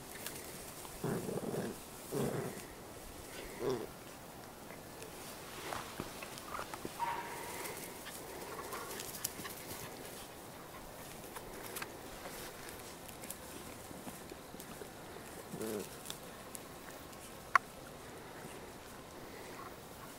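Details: Cairn Terrier puppies at a breeding kennel in Escaudes, France, give scattered short whimpers and yelps, with a thin higher whine near the middle, over soft rustling and handling noise.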